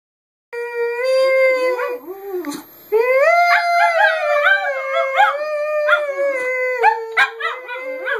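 A Boston Terrier mix howls in long, wavering tones that rise and fall, breaking into yips.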